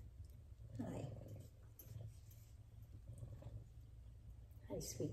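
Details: F2 Savannah cat purring while giving affection to its owner indoors: a steady, low rumbling purr runs through the whole clip, with a woman's soft voice speaking briefly over it near the start and again at the end.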